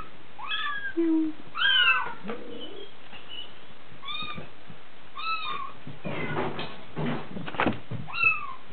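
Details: Repeated thin, rising-then-falling meows from DeeDee, a Bengal kitten six weeks old (born 13 January 2014), about one or two per second, with some shuffling and knocking sounds late in the clip.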